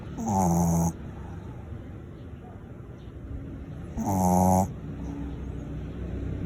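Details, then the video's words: Loud snoring from Shirley, a small mixed Shih Tzu fast asleep: two rough, buzzing snorts about three and a half seconds apart, each under a second, separated by soft low background hum. "Small DOG SNORES loudly"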